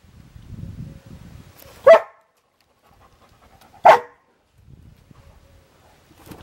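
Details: A Golden Retriever crossed with a Border Collie barks loudly twice, two seconds apart, after getting its toy stuck in a bucket. Soft rustling is heard between the barks.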